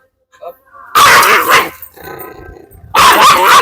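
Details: Pet dog giving two loud, harsh, bursting barks about two seconds apart, with a person calling commands in Malayalam between them.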